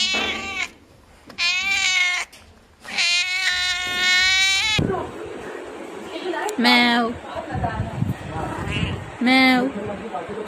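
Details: Cats and kittens meowing: a run of strong, sustained meows in the first half, followed by shorter, sliding mews mixed with a person talking close by.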